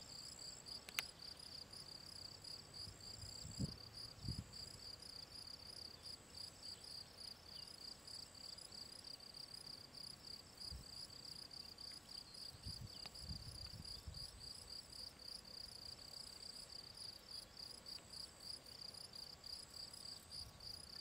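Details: Field cricket (Gryllus campestris) calling at ponds in the Draga valley, 18 June 2023: a long run of regular, high-pitched chirps, a steady faint whine above them, and scattered low bumps and crackles.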